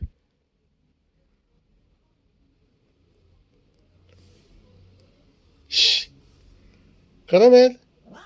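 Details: Domestic cat, described as loud and hyperactive, mostly quiet; a short noisy burst, then one loud, drawn-out meow that rises in pitch with strong harmonics near the end.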